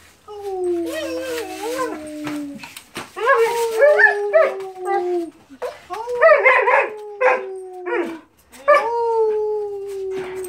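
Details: Mariah, a pet German Shepherd, howls when asked by her owner: long drawn tones sliding slowly downward, broken into several separate howls with wavering, yodel-like warbles at their starts, and a human voice briefly heard.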